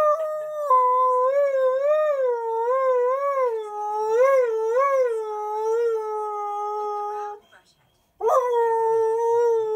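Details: A Husky/Malamute dog howling along to a TV advert at home: long sustained howls around a steady pitch with wavering, warbling pulses, a brief pause near eight seconds, then a fresh rising howl resumes.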